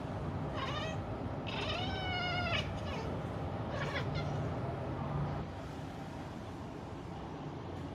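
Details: A black cat that loves seeing birds meows repeatedly: a short cry, then a longer, drawn-out wavering meow, then a brief final call. A constant low rumble runs underneath.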